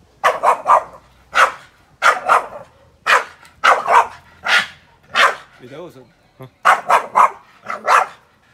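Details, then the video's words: Boston Terrier barks at a grill fire in a steady, excited run of loud, harsh barks, often in quick doubles and triples, nearly continuous over eight seconds, with a brief human voice in a pause. "Funny Boston terrier barking at grill fire"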